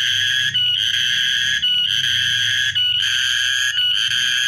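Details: Cicada singing, recorded 14 March 2023: a loud, continuous shrill buzz with a rich rasping tone, broken by short gaps roughly every second, with low faint rumble beneath.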